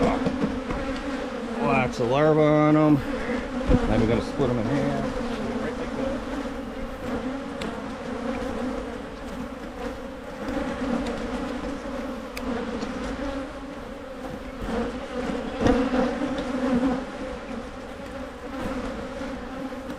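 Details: Honey bees humming around opened hives during splits in Michigan. A brief human voice early on, then a long, steady, slightly pulsing colony drone.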